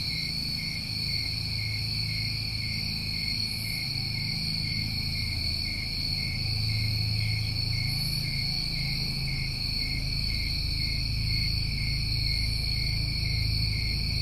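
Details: New England summertime crickets calling together in a continuous high-pitched shimmering trill that never breaks. A noticeable low hum sits beneath the insect chorus throughout.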